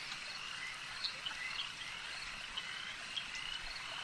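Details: Frog chorus at a lake, a continuous high-pitched trilling wash with a few short, bright chirps standing out at irregular moments.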